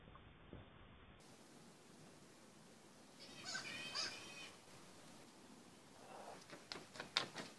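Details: Male black flying-fox, a megabat or fruit bat, in a backyard on 11/09/2014; after quiet hiss, a loud harsh screech with stacked harmonics lasts about a second, then short rasping squawks and sharp clicks near the end.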